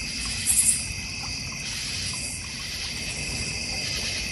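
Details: North Georgia Mountains backyard crickets beside a goldfish and koi pond. One brief trio of shrill chirps comes early, then a constant, even, high-pitched insect drone fills the rest.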